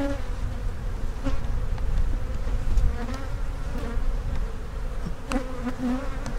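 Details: Deep continuous drone of honey bees in an opened hive during inspection, with capped brood and possible queen cells on the frames; the low hum stays even throughout, broken by soft knocks of frames being moved.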